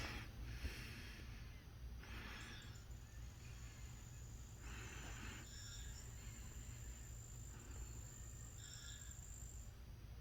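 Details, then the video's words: Captive cricket in a critter keeper, giving brief faint chirp bursts every two to three seconds beneath a continuous high, thin whine, with steady low-frequency hum underneath. "A cricket making noise in my crutter keeper"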